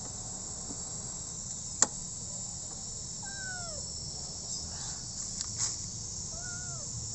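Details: Rescued street kitten giving two drawn-out, falling meows with layered overtones, one in the middle and one near the end, over a constant high-pitched insect chirring and a single sharp click.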